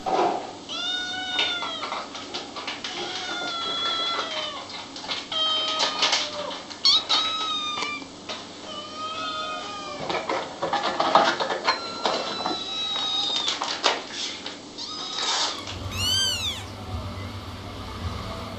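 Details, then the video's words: Several kittens mewing together: overlapping short, high, arched meows in quick succession over a rustling background, ending with a sharp high squeal. "Little kittens meowing and talking"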